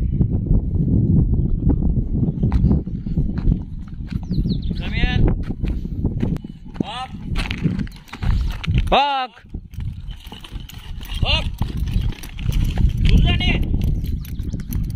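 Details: Dogs at a boarding kennel, a dog hostel in Jodhpur, recorded 22 May 2022: five separate yelping barks with falling tones, spaced one to two seconds apart over a steady low rumble, with voices nearby.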